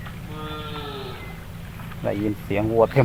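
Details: Cattle straggling out of a forest through deep water, still calling to each other: a drawn-out, low lowing moo fades over the first second, then a man speaks close by.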